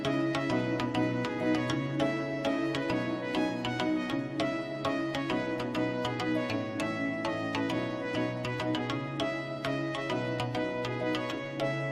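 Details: Upbeat instrumental music with a steady drum and percussion beat and layered melodic instruments plays throughout; no animal voice can be picked out.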